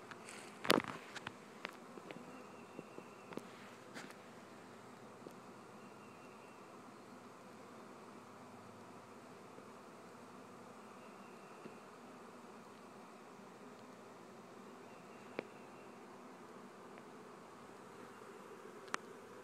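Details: Continuous low droning hum of a honey bee swarm, an unbroken mass of buzzing with a brief knock near the start and occasional faint ticks.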